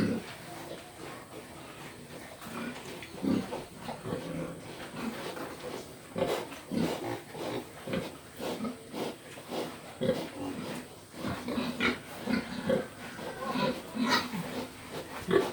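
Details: Steady run of low, husky pig grunts repeating roughly every second, with some snuffling between them and faint background noise throughout.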